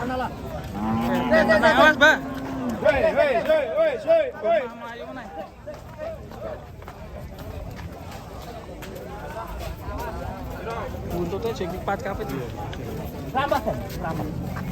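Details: A raging cow that has charged into a passenger car gives a loud, drawn-out low moo near the start, then shorter rising bellows, mixed with excited human voices and background music.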